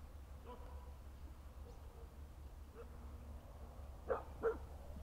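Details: Rough Collie on its way home, unexpectedly meeting horses: two short, sharp barks close together near the end, after a quiet stretch with a low steady rumble beneath.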